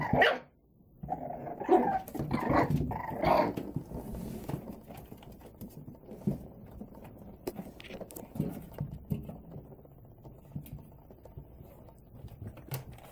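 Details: Male and female Boston Terrier puppies yip and bark in short bursts during play, with low grumbling between.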